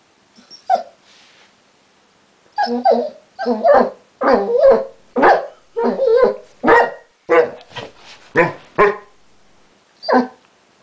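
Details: A Basset Hound 'talks' with a string of short, grumbling, howl-like syllables of uneven length, about forty a minute. A quiet start and gaps leave the dog's mumbled yowls clearly heard, ending with one last call.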